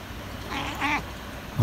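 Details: Black house cat in Japan on a May 25 morning, after breakfast, while being talked to: one short harmonic meow lasting about a quarter second, rising then falling slightly, over quiet room noise, with a low thump at the end.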